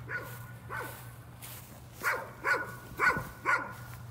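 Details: Faint dog barking, described as a nuisance, with a few soft barks early on, then four clearer barks spaced about half a second apart, against background noise and a low hum.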